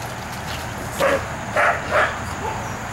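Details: A Pekingese from a home breeding kennel in Akron, Ohio, gives three short, sharp yaps roughly half a second apart against a constant low background hum.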